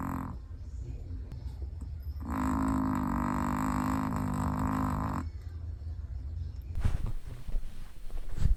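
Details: Snoring from a sleeping Chihuahua: a single drawn-out, buzzy snore of about three seconds, steady in pitch, then quieter breathing and scattered rustling.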